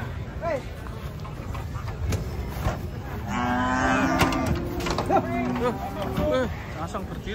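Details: Cattle unloading from a truck: a drawn, fairly level moo rises midway amid shorter calls, with clattering, a low rumble and voices around.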